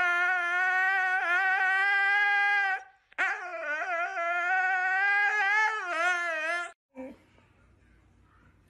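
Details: Pet dog howling in two sustained, fairly high tones, the first steady for about three seconds, the second longer and quavering with small dips, ending in a short low rumble of noise.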